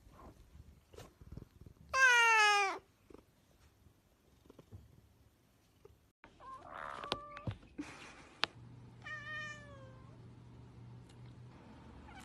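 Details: Cat letting out one loud, descending meow, then quieter scattered sounds, clicks and a softer falling meow later, with a faint hum beneath.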